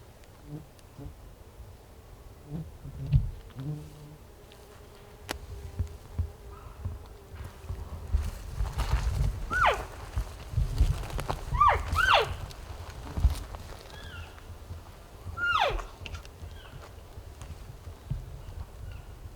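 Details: Elk in a group called in by hunters during an over-the-counter hunt in Colorado, coming to within a few feet. Several short, high, downward-sliding chirps sound in a loose series over low rumbling wind and rustling.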